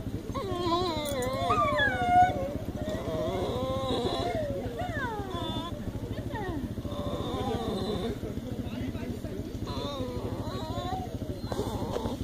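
A Basenji gives warbling, yodel-like howls that slide up and down in pitch.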